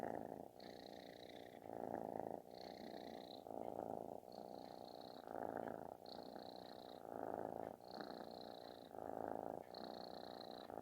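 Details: Kitten purring loudly like snoring while seeking affection; a continuous buzzy rumble swelling in long breaths about every one and a half seconds, with faint higher tonal squeaks riding on several breaths, indoors.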